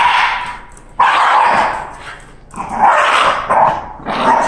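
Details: Candy, a Shiba Inu, goes wild on hearing it is time for a walk: loud, harsh, whiny cries in long drawn-out bursts, one after another, with brief pauses between them.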